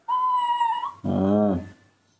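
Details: A baby monkey gives a thin, steady whistled whine in the morning, calling to ask for milk as she does every morning, followed by a woman's voice.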